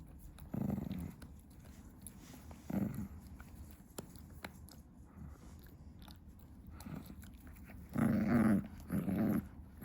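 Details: Female Chihuahua indoors at 2 AM, busy chewing her favourite stick; short low growling rumbles come in scattered bursts, with a pair of louder growls near the end and faint chewing sounds between.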